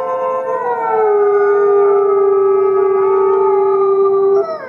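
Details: Fifty gray wolves howling as a group, one voice holding a long, very steady flat note for over three seconds, other howls layered above it, then fading into softer wavering tones at the end.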